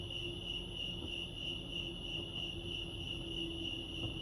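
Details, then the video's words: Wild crickets chirp at Lake Arrowhead in California, making an unbroken shrill pulsing trill with a fainter higher overtone, while a gentle low drone and a faint mid-pitched tone sit in the background. "Serenity sounds crickets chirping lake arrowhead"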